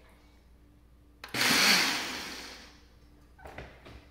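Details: A kitchen blender whirs in a loud burst that fades, followed by brief clattering, with no animal sounds.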